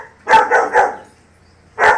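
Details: German Shepherd puppy barking at lions: three quick, sharp barks in a burst, a pause, then a fourth bark.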